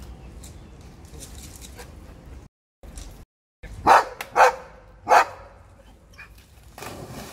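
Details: Dog barking at people who drop litter, before cleaning up the thrown rubbish: three sharp, loud barks about half a second apart, then a short pause, over a low steady background hum.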